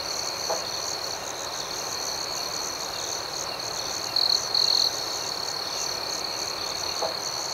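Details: Nighttime crickets keep up a continuous shrill, finely pulsed chirping, rising into two short louder bursts past the midpoint, with a couple of faint low knocks in the background.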